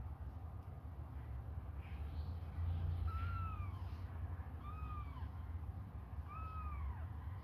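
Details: Hungry kittens suckling on a finger give three clear high meows, each an arching tone that rises then falls, spaced about one and a half seconds apart, over a steady low rumbling background.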